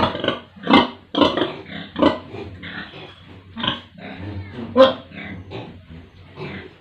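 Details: Pigs and piglets on a village pig farm in India: short, rough, irregular grunts in bursts, some louder and noisier, with quieter murmuring between them and faint voices in the background.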